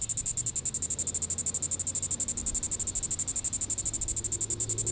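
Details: A Diceroprocta vitripennis cicada calls in the evening, July 20, 2014, at Sand Hills State Park in Reno County, Kansas: shrill pulsed buzzing, roughly nine even pulses per second, continuous for the whole stretch over a quiet low hum.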